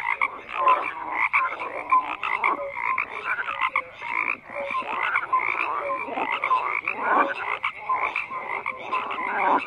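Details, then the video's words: Dense frog chorus of rough, overlapping croaks and occasional short clear notes, swelling and dipping irregularly, with no wind, water or voices evident. "FROGS CROAKING"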